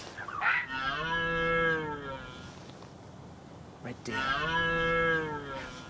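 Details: Red deer (Cervus elaphus) in the UK in autumn, late October 2013, gives two drawn-out, deep moaning roars, each nearly two seconds long, with a short pause between them over faint background hiss.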